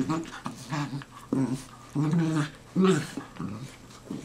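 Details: Tired dachshund brothers Manny and Franky, black and tan rescues from Georgia, trade grumbling vocal noises after play-wrestling: short low growly moans in uneven bursts, two louder wavering whines near the end.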